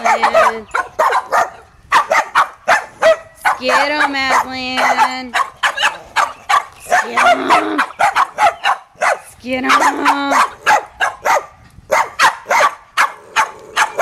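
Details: Pit bull playing with a mutt dog, Boston terriers nearby; a rapid run of short sharp barks with a few longer harmonic yelps, mixed with a person talking.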